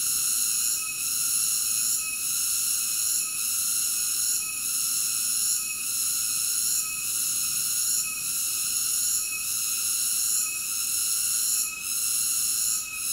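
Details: Continuous cicada drone, piercing and buzzy with several ringing high bands, rhythmically dipping roughly every 1.2 seconds throughout, with no other animals or noises standing out.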